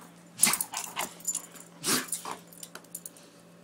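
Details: Doberman in a play-fighting game indoors, egged on by its owner: two loud, rough growling barks about a second and a half apart, with shorter huffing growls between them and a low steady hum.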